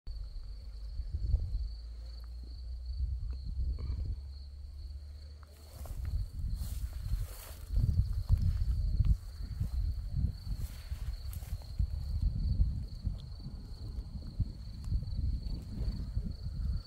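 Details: Crickets among scarlet poppies in Crimea; a thin, high, steady trill runs unbroken through the whole recording over low wind rumble and rustling.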